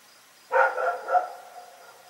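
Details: Rex, a dog, barking at night: one harsh, loud bark rich in overtones, trailing into a longer wavering tail that fades against a faint steady background hiss.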